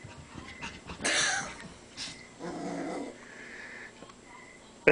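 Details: Young Cavalier King Charles spaniel confronting himself in a mirror: a sudden harsh snarl-like burst followed by a lower, sustained rasping growl lasting about half a second, with faint room noise and human voices.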